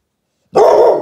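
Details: A watchful American Staffordshire Terrier barks at someone passing by outside; a single loud, harsh bark bursts in after half a second of silence and holds steady to the end.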